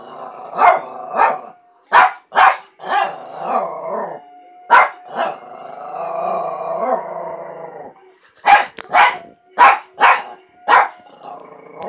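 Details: Oscar, a dog trying to howl, mixes short barks with drawn-out, quavering howl notes, then ends in a closely spaced run of loud barks.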